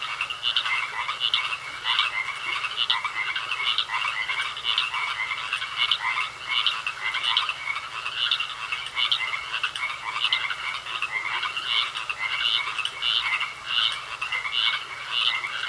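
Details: Frogs croaking in a pond, a dense chorus of short bright pulsing calls repeated rapidly and overlapping throughout, with a steady faint high tone running underneath.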